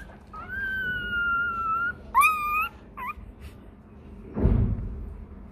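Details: Hungry Rottweiler puppy crying for its milk, giving a long steady whistled whine that sinks slightly, then a wavering rising whimper and a short yelp, followed by a muffled thud.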